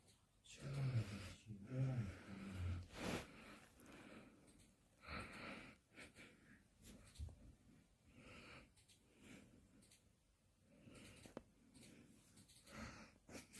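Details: Kkandori, a sleepy puppy, snores while asleep indoors: deep, wheezy snorts repeated roughly once a second, rising and falling in loudness, with faint background noise of a small room.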